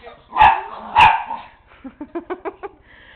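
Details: Flashlight chasing indoors by Tigger, a one-year-old miniature pinscher, with the dog Nero present: two loud, rough barks half a second apart, then a quick string of five or six faint, high yips.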